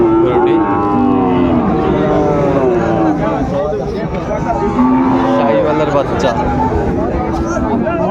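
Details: Sahiwal bull calves at Ambari cattle market, 17 January 2025: short drawn-out moos with rich harmonics rise above steady bargaining chatter and crowd noise.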